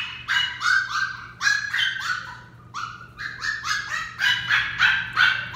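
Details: Young female Westie being trained, letting out bursts of shrill, rapid yaps in uneven clusters, some barks sliding downward, continuing almost without pause over a faint steady background hum.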